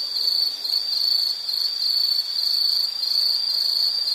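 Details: Continuous insect chirring at a high, fixed pitch, loud and steady with subtle pulsing, with an otherwise quiet background.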